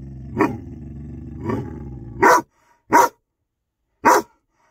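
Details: A 6-month-old Rhodesian Ridgeback drives an unwanted cat from his yard. A deep, continuous growl with two rising swells gives way to three sharp, separate barks roughly a second apart.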